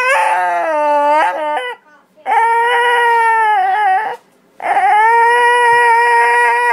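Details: Pet dog "talking" in a howling voice: three long, steady, harmonic howls of about one and a half to two seconds each, separated by brief silent pauses, pitch dipping slightly at the start of each.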